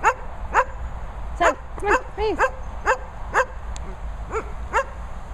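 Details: German Shepherds at a training and boarding kennel in Worcestershire countryside, giving rapid high yelping barks, some rising-and-falling whiny notes, about two per second, with a steady background hum.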